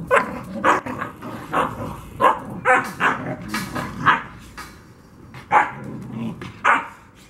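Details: Two-month-old Black Russian Terrier puppies yapping: a rapid run of short, sharp barks and yips roughly every half second, then a pause and a few more spaced barks, with low growly undertones.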